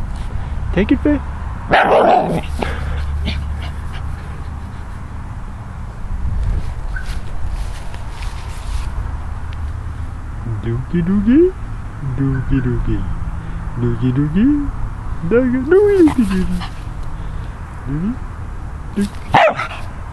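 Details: Faye, a Scottish Terrier in San Diego, playing with a pine cone for the first time: a sharp bark early on, then short rising-and-falling whiny yips around the middle and end, over low background rumble and soft handling noise.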